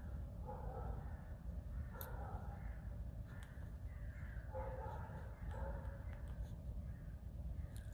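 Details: Alice, a pet fox, in a whining, complaining mood during her morning wash: short, wavering, nasal whines come in bursts about every second, some rising and falling, over a steady low rumble of room noise.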